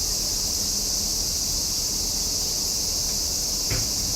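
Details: Summer cicadas singing in a loud, unbroken chorus: a steady high-pitched hiss that holds at the same level throughout, with no pauses and only a faint low rumble beneath.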